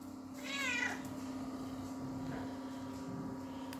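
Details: Female house cat demanding cuddles from her owner indoors: one short, bright meow with rich harmonics that rises then falls, followed by a steady low hum and soft rustling.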